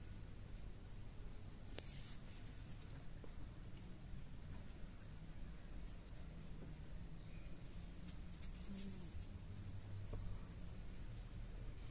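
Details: A quiet indoor room holds low hum and scattered faint scratches and clicks, with no clear voice standing out.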